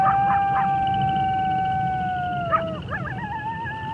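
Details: Wolf howling: a long, steady, level howl held for over two seconds, then a quick break into wavering, quavering yips that wobble up and down, over a constant low rumble of background noise.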